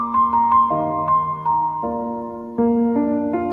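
Soft electric piano music plays sustained chords with no animal sounds.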